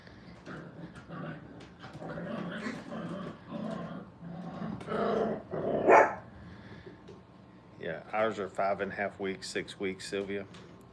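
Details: Five-week-old puppies at a training kennel, having fun at play: a person talks through the first half, then a quick run of high, sharp yelping yips and squeals fills the closing seconds.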